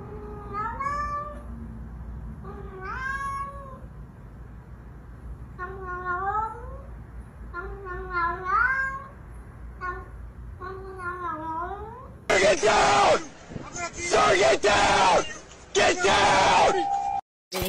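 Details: Blue-eyed Siamese cat meowing indoors: a run of rising-then-falling, nasal meows repeated every one to two seconds for about twelve seconds, then loud broadband rustling and thumping noise takes over.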